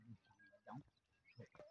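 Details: Goats at a goat farm, with two goats butting each other nearby, give short, low, nasal bleats in quick bursts.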